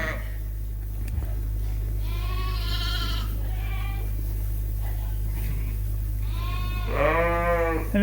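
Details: Barn-housed Suffolk sheep and lambs, evening feeding around 8:00 pm, groups mixed after a gate left open; scattered bleats of varied pitch, ending in a loud quavering one, with a steady low hum throughout.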